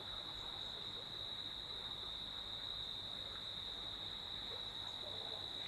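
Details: In Sreemangal at night, a constant piercing cricket trill rings out from around a villa's upper veranda while a nearby stream babbles steadily underneath.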